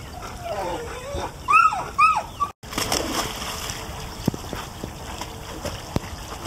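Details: A Golden Retriever puppy swimming with his brother at a dog pool in Houston gives two brief, high, rising whines, followed by splashing water.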